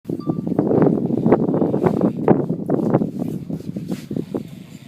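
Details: Wilbur, a large 850 boar, sound asleep on a beach in St Kitts, West Indies, snoring: a dense run of rough, rasping, low grunting pulses that come quickly and unevenly, with a faint outdoor rustle in the background.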